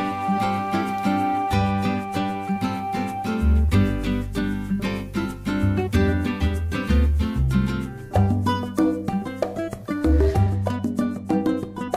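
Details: Cheerful background music with plucked strings and a steady bass line, with no animal sounds.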